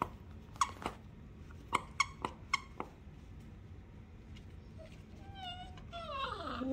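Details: Siberian Husky puppy in a small room: a few short, sharp, high yips close together, a quiet pause, then rising squeaky whines building in loudness at the end.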